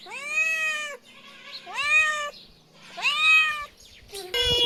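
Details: Little kitten's tiny meows: three sustained, bright harmonic meows about a second apart, each sliding up then easing down, ending in a short harsher burst of sound.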